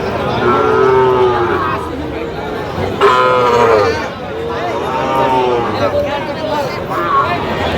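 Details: Sahiwal bull calves at a cattle market in Feni, Bangladesh, in November, while a buyer bargains over them: several drawn-out, wavering moos, some rising then falling, one after another, over crowd chatter and people talking.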